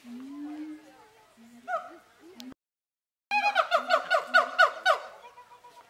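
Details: Captive zoo siamangs sing and shout at each other with low booming hoots, then a rapid run of loud, falling barks and shouts.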